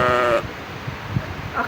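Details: A goat gives a short, wavering, nasal bleat, followed by quieter background sounds; played as a guess-the-sound example contrasted with a sheep.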